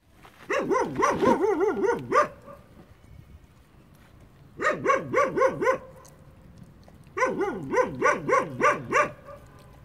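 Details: Puppies playing at a building site; three bursts of rapid high yapping barks, each run of about eight quick yips lasting near two seconds, separated by quiet pauses.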